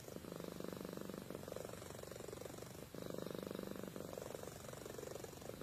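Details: Pet cat Amy, asleep, gives a buzzing, rhythmic purr; each inhale and exhale forms a block of dense rumble, with a clear break near the middle.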